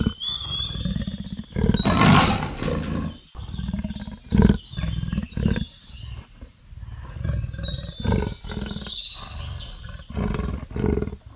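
A leopard gives deep, rasping roars in uneven bursts while birds whistle faintly behind.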